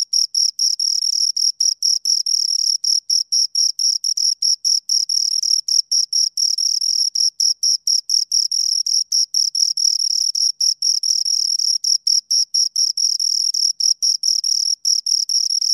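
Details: Two crickets chirp almost continuously, a fast, high, scraping pulse train broken only by very brief gaps, steady in loudness throughout, with no other sounds present.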